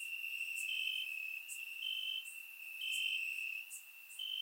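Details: Crickets chirping in the grass on a warm summer night in Bulgaria, captured with a surround microphone: a steady high trilling band that steps slightly up and down in pitch, with brief brighter higher bursts every second or so.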